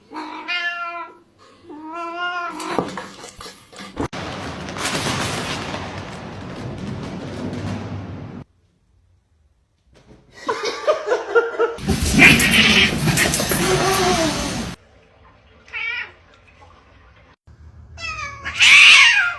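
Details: Cat meowing: harmonic, stepped meows early on, later short rising meows and a loud upward-sweeping meow at the end, mixed with bursts of broadband noise and music.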